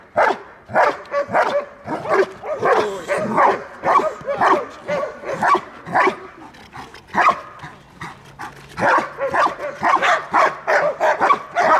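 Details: Belgian Malinois guarding its owner during protection training in Dyukovsky Park, Odesa, Ukraine; dense, uneven volleys of barks, some overlapping and yelping, with faint voices at times.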